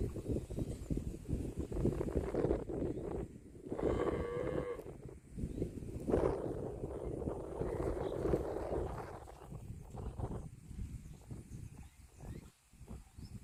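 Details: Cattle lowing: a short harmonic moo around four seconds, then a longer, broader, hoarse bellow from six to nine seconds, over continuous low rumbling background noise.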